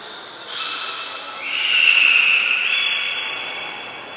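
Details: A beluga at Port of Nagoya Public Aquarium, 25 July 2021, in a brief training session: one drawn-out tonal whistle sweeping upward, then holding steady and stepping slightly higher, over faint hall murmur.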